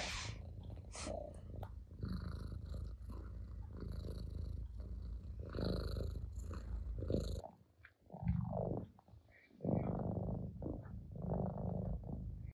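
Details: Domestic cat purring while driving a rival cat off its owner's lap; steady low rumbling purr through the first seven seconds, then a brief break with rustling before the purring resumes, with soft handling noises throughout.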